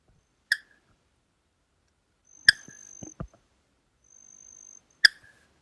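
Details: Spotted Marsh Frog (Limnodynastes tasmaniensis) from Melbourne's Merri Creek area, summer: sharp single clicking 'tok' notes spaced a couple of seconds apart, a smaller sound than the eastern froglet.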